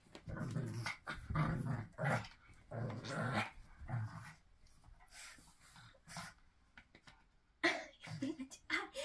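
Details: Pug (Canis familiaris), snort.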